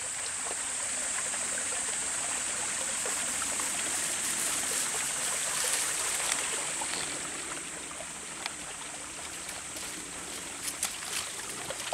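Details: Rushing river water by a riverside path, a bright continuous hiss with small splashes and trickles, growing slightly quieter toward the end, with no animal sounds.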